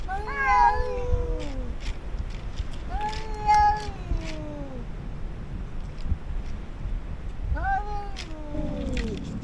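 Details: Stray cats in a colony by the ruins of an old house, an intruder cat and the colony's largest cat facing off; three loud, drawn-out meows with falling tails, spaced a few seconds apart, over low background rumble.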